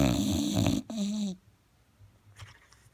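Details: Loud snoring from a sleeping English Bulldog: a rough, throaty rattling inhale, followed by a shorter tonal, whistling wheeze, then near silence with faint soft breathing.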